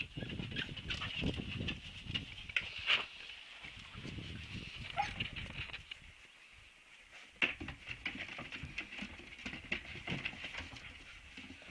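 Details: Siberian Husky puppies giving high, thin whimpers and squeaks in short bursts, with a couple of sharper yelps standing out, over a steady low rumbling background and scattered shuffling noises.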